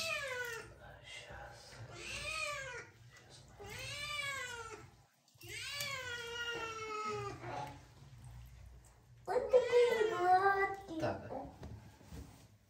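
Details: Kitten named Marseille, scared while being washed indoors by a parent and daughter, gives a series of drawn-out, harmonic-rich meows. Each one falls in pitch, with about five across the stretch and the last loudest, over a low background hum.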